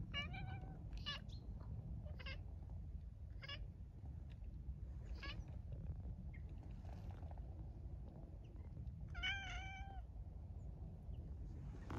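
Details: Hungry cat mewing in a run of short, high cries spaced a second or two apart, ending in a longer, clear meow, over steady low background rumble.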